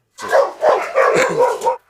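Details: Dogs in a yard bark while two of them, Carlos and a Kangal, fight for dominance. Five rapid, rough barks run in a close series of about a second and a half, loud and overlapping.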